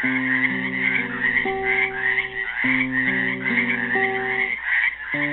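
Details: Frogs trapped in a pool at Helix, Oregon, on Earth Day 2016, trilling in a steady high-pitched chorus that pulses continuously beneath a slow classical guitar melody of plucked chords.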